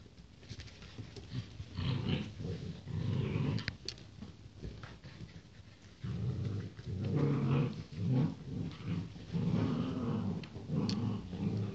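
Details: Rottweiler puppies born on 28 January 2016, growling in low, rough grumbles that come in bursts of one to two seconds with short pauses between them.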